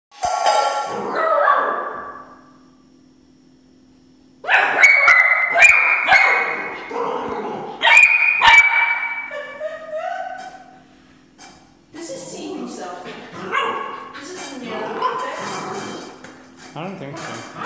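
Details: Oscar, a three-month-old Border Collie puppy playing with his bowl, lets out bursts of sharp, high barks in quick irregular runs, broken by pauses and the clatter of the bowl.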